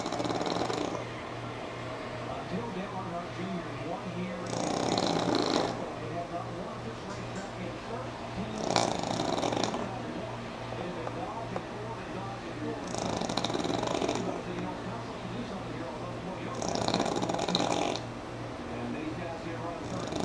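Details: Sammi the pug snoring while asleep through a NASCAR broadcast; breathy, rasping snores burst out roughly every four seconds over a steady low hum and background television commentary.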